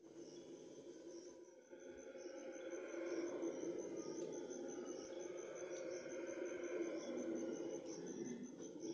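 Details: Red howler monkeys (Alouatta seniculus) howling at dawn, a deep, breathy, drawn-out chorus that swells and holds steady.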